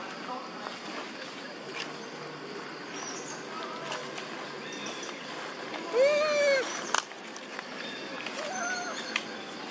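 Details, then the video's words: Monkey mothers Duchess and Queen crying out for their missing baby Quinton: one clear, arched, tonal coo rises and falls over about half a second, with water and soft background noise. "Amazing Mom Duchess And Mom Queen Huge And Crying Calling Their Baby, Where Is Baby Quinton?"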